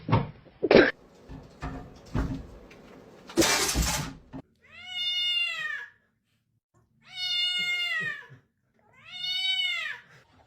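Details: Cat repeating three clear, long, arching meows about two seconds apart, steady and tonal, after loud knocks and thuds at the start.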